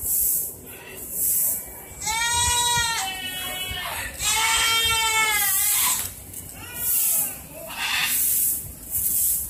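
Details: Goats waiting for dinner after cleaning bleat loudly in long, wavering, nasal cries, two drawn out over a second each, then shorter ones, over a steady high hiss; a neighbouring blue-and-yellow macaw may also be heard.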